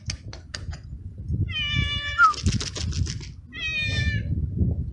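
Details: A stray kitten, one of two brothers (black and gray) waiting outdoors to eat on a cold, windy day, calls with two drawn-out, wavering harmonic meows after a few sharp clicks, steady wind rumbling underneath.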